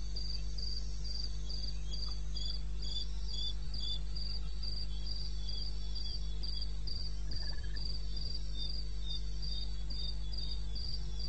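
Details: Eastern Botswana wilderness at 02:30, 21 May 16: a cricket keeps up a high, metronome-like chirp about three times each second, a faint second chirping voice beneath it, and a low continuous hum.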